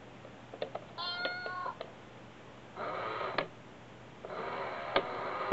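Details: A pair of sibling cats in Osaka, Japan, play energetically with a cat coin bank indoors; one clear, steady meow rings out early, followed by two longer stretches of rattling and scraping from the toy.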